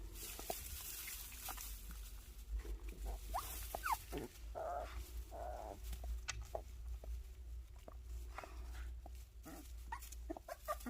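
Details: Puppies of the dogs Sunsimi and Joy give short, high, rising whimpers and squeaks, scattered irregularly through the clip, with the loudest cries near the middle, over a steady low rumbling background noise.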